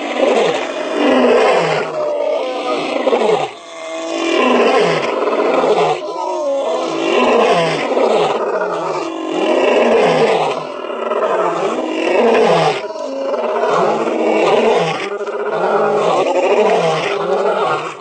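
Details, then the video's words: Lions roaring while lying down, which does not signal distress; a long, continuous stretch of rich, harmonic, strained moaning roars with rising and falling arcs that swell and fade in waves every couple of seconds. "Lions Roaring"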